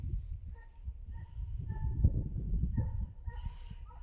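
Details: Far-off Finnish Hound on the trail of a hare, wind bringing its voice in: evenly spaced, clear, ringing barks, several per second at times, against low rustling and handling noise.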